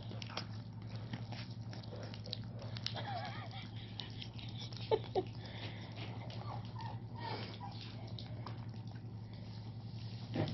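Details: Tosa Inu puppies eating, one female taking food off her brother; quiet crunching, biting and chewing clicks scattered through, over a steady low hum, with a soft voice in the room.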